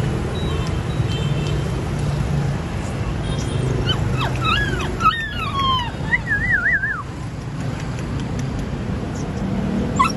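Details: A platinum-coloured purebred Golden Retriever whines in thin, wavering high notes that bend up and down over a low traffic rumble.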